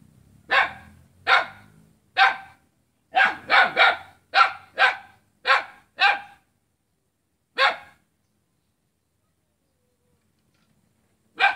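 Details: Dog barking at its own neighbour on Jalan Kolonel Sugiono, Selat, Kapuas, Central Kalimantan, Indonesia, Saturday 5 August 2017: about a dozen sharp, harsh barks, bunched quickly in the first six seconds, then two isolated barks after pauses.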